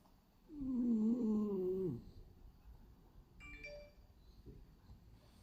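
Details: A sleeping male French Bulldog named Hachi, black-and-white pied, lets out one drawn-out, whistly, slightly wavering snore lasting about a second and a half, followed by faint clicks and room quiet.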